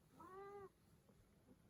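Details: Lin, a patient pet cat kept alongside a baby, gives a single short meow lasting about half a second, clear and slightly falling, followed by quiet room noise and a few faint soft sounds.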